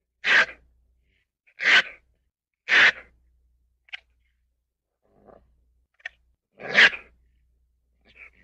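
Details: Ferret producing a run of abrupt, breathy sneezes: three strong bursts in quick succession, a few faint snorts, then one more loud sneeze, in a quiet indoor setting.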